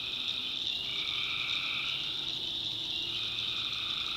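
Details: Tree frogs calling at night in a North Carolina backwoods swamp: a dense, unbroken high-pitched trilling chorus, with a lower droning band that fades in and out behind it, and faint low rumble beneath.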